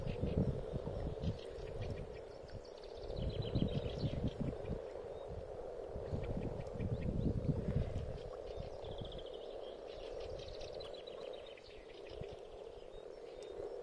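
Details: A pond in spring where frogs have gathered to spawn, giving a continuous low purring chorus. Heavy thumping and splashing noises break in during the first half, and faint bird twitters run over the top.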